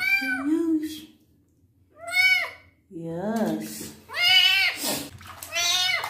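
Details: Male kitten in his first bath, wounds being cleaned, giving several high, bending meows with short pauses, while a person speaks close by in a small indoor room.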